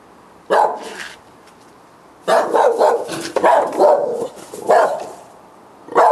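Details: Night barking by dogs at about 10 o'clock, July 2013, heard every night; loud broken barks in two groups, a rapid run of several yelping barks in the middle and a last one at the end.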